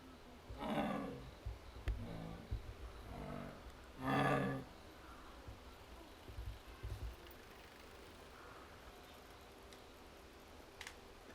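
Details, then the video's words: Captive jaguar at Higashiyama Zoo in Nagoya, Japan, recorded 21 October 2025, softly murmuring after its keeper left, perhaps searching for the keeper: low breathy grunting calls in short bursts, with one stronger call near the fourth second, quiet background. "ユウキの鳴き声《 ジャガー 》"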